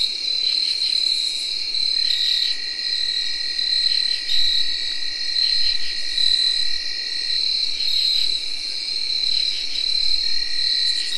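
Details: Tree crickets whirring in early October 2021: a steady, unbroken high whir runs throughout, layered with a lower sustained tone and repeated buzzy pulsed bursts from other insects, field crickets and katydids, in a dense night chorus.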